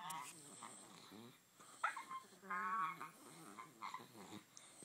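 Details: Bulldog puppy playing with a Puggle, making funny sounds: grumbling, throaty growls and whiny, nasal yelps in short bursts, with scuffling between them.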